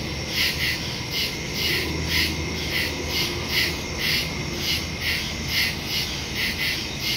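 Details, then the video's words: Nighttime woodland crickets, captured September 2, 2023 with a Samsung Galaxy S22 Ultra and Shure MV88+ stereo mic; rhythmic shrill chirps recurring roughly every half second above a continuous high hiss and faint low hum. "Crickets in the woods at night"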